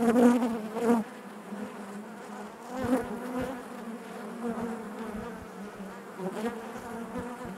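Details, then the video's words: Inside a honey bee hive, a continuous low droning hum, loud close buzzes in the first second and again near three and six and a half seconds, settling back into a softer even murmur between them. "bees therapy hive natural buzzing sound"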